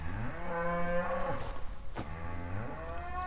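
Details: Cattle from a herd of Brahma, Hereford and Brangus cows during a round-up to sort the calves and sell off older animals: a low, drawn-out moo of about a second, then a second, shorter moo, over a steady background hum.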